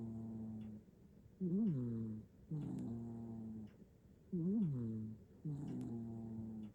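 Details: A domestic cat, a bicolour tuxedo cat in Japan, sound asleep and snoring, recorded on a phone; low, buzzy nasal snores, each breath a rising-and-falling tone followed by a steady drone, about every two to three seconds.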